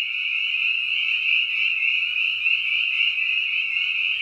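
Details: A dense chorus of spring peepers at a pond or wetland in Lincoln, Massachusetts, the typical early-spring sound, with high piping peeps overlapping into a continuous shrill ring.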